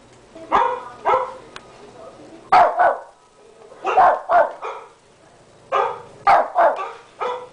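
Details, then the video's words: Tommy, a 13-pound pet Shih Tzu, barks at a computer indoors: sharp, bright barks in pairs and triples with short pauses, roughly forty per minute, over a quiet room. "Tommy the shih tzu barking at the computer"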